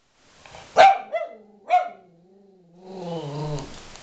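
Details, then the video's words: An angry dog named Aspen growls and barks at its owner: two sharp barks close together, then a low rumbling growl that rises into a whiny, wavering grumble. "Aspen being angry on me.."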